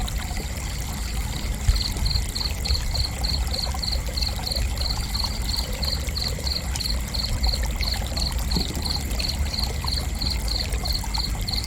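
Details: Cricket chirping for relaxation: a high, even pulse of short chirps, about four per second, running unbroken through the whole stretch over a constant low rush like pouring or trickling water, with a faint steady high hum.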